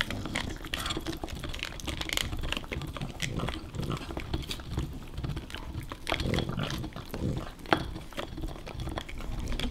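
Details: Nash, a dog fiercely guarding his favorite bone from Carla, a playful puppy; steady low rumbling growls run through the clip in overlapping bursts, with scuffling and clicking noises indoors.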